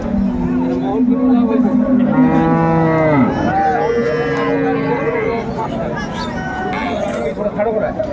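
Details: Hariana bullocks from India, a pair at a Bangladesh cattle market, bought by a Chittagong trader; two long harmonic moos in sequence, the second sliding downward, amid market chatter, traffic hum and faint music.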